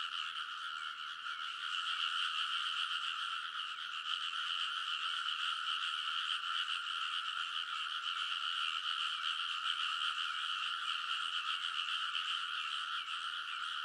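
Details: Early-summer midnight in Kōnosu, Saitama, Japan: frogs in full chorus on rice paddy ridges, recorded with a TASCAM Portacapture X8, countless fast croaks blending into a dense, continuous, slightly swelling wall of calls.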